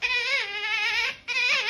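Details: Otter giving a loud, shrill, wavering squeal with rich harmonics, held about a second, a brief break, then resuming; a person's voice is heard just before.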